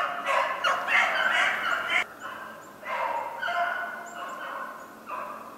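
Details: Beagles baying on the trail of a snowshoe hare, 2/25/16. Loud bursts of overlapping howling bays break off sharply, resume after short gaps, then fade, with a couple of faint high chirps.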